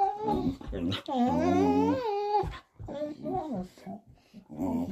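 A Vizsla "talks" in drawn-out, wavering moans and whines that rise and fall like speech.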